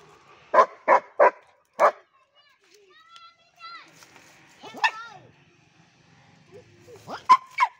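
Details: Crossbred German Shepherd letting out a quick run of three sharp barks, then a fourth, with human voices talking in the quieter middle stretch and two more barks near the end.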